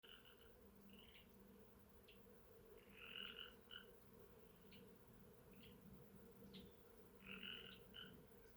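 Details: Frogs calling outdoors at Sheckyville: short, bright notes with stacked overtones, given in brief bunches a few seconds apart, over a steady low hum of bees and soft ambient noise.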